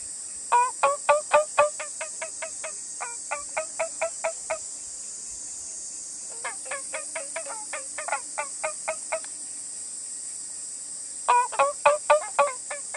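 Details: A male Emei music frog (Babina daunchina) calls from inside its muddy burrow near a pond in China, giving bouts of rapid, ringing chirps to attract females and advertise its nest site.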